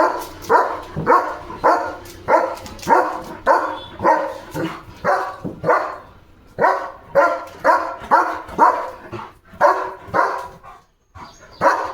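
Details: Leo, a pet German Shepherd, barks in a steady run of sharp, mid-pitched barks, roughly two every second, with short breaks near the end.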